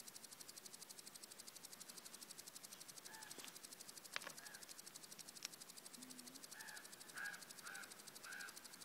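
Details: Grasshopper during its mating ritual and dance in southern Norway, captured on an iPhone: a faint, steady, rapid high-pitched pulsing buzz throughout, with several distant harsh bird calls and a soft knock.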